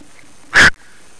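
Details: A gray fox with a black-tipped tail, about two feet long, in a neighbourhood at night gives one short, harsh, raspy bark, calling back after a person called to it.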